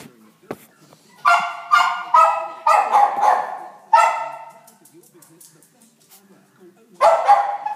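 Terrier-schnauzer cross puppies give a string of high, nasal yelps, each short and ringing.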